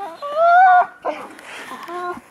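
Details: Alaskan Malamutes, the oldest dogs of the kennel, out skiing in snow with their owners; a wavering, harmonic-rich howl-like 'woo' rising slightly over half a second, then a shorter tonal cry, while a person calls to the dog nearby.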